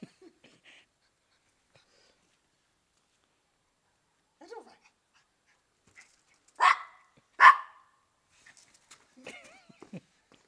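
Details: Female Maltese dog at play, peering under a car at the feet of the person playing with her so as not to be caught; two sharp, loud barks close together after quiet moments, with faint human voice and small noises around them.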